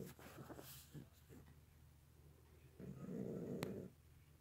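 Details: Pet domestic cat snoring very loudly indoors: rough, low rasping breaths in irregular bursts, the last one louder and longer, with a brief click partway through.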